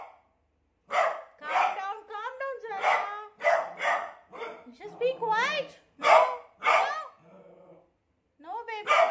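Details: Beagle alarmed by an unfamiliar cot, giving a rapid run of barks laced with quavering, rising whines, a brief low murmuring lull near the end, then more barking.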